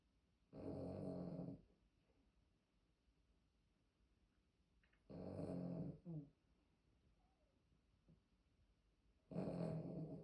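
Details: Heavy snoring from an old pet poodle: three harsh, rattling snores about four seconds apart, each roughly a second long, with a short snuffle after the second, in an otherwise quiet room.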